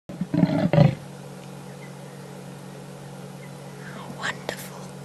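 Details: A leopard in the dark gives two deep, rasping grunts in quick succession, part of a roaring call heard on 1 June at 17:46 in Africa, then falls quiet against a steady low hum.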